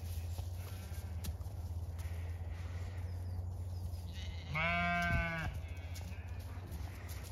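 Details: Zwartbles ewes on a regenerative farm in County Kilkenny, Ireland, called over to fresh hay on a thawed day after frost; one clear harmonic bleat near the end over a steady low hum, with a woman calling to them.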